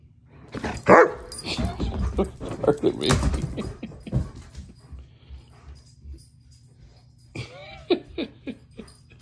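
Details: German Shepherd 'talking' during a tantrum: a loud, harmonic yowl near the start and several shorter vocal bursts. Near the end comes a run of rising-and-falling moaning whines. A person's speech comes in between.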